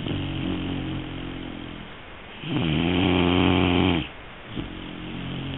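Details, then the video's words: Sleeping Great Dane puppy, three months old, gives a long, loud, vibrating snore lasting about one and a half seconds between quieter, steady breathing rasps. "snoring 3 months old great dane 3ヶ月のグレートデンのいびき"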